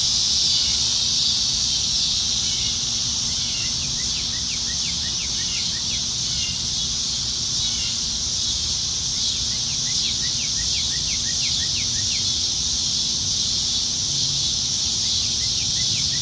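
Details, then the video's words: Many cicadas singing in trees on a Nebraska summertime evening in July 2019. A constant high, hissing drone runs throughout, while short downward chirps from a bird repeat in quick bursts underneath. "Summertime Evenings in Nebraska - Cicadas"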